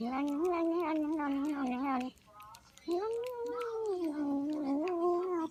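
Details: Domestic female cat making noises while she eats, a long drawn wavering vocal tone about two seconds, a short gap, then another sustained wavering tone of nearly three seconds, indoors.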